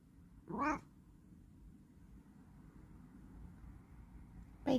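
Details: Bengal cat indoors giving a short harmonic meow, then another brief call cut off at the end, over steady low room noise.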